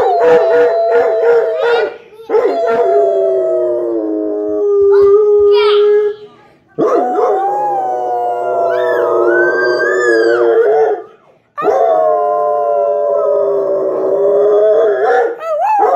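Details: Dog crying for another dog, howling loudly in long drawn-out, quavering notes of about four seconds each, separated by short pauses, with a few yelping breaks and rising wails in between.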